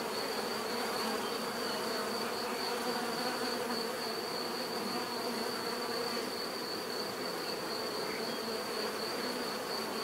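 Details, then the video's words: Bees humming together in a thick continuous buzz, slightly rough and flickering, with a thin steady high whine laid over the drone. "bees therapy relaxing natural buzzing sound"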